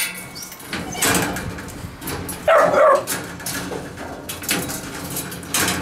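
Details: Puppies and a dog named Gunnar in a kennel: a short high whining yelp in the middle, among scattered thumps and scuffling. A man's voice speaks briefly nearby.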